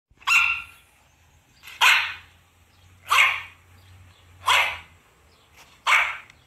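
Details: A black-saddled female German Shepherd gives five loud, harsh barks about a second and a half apart, reacting to recorded dog barking and howling sounds played to her.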